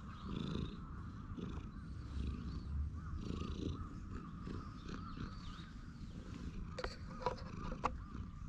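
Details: While stroked on a bench, a contented stray cat keeps up a soft low purr; faint bird chirps early on and a few sharp clicks near the end.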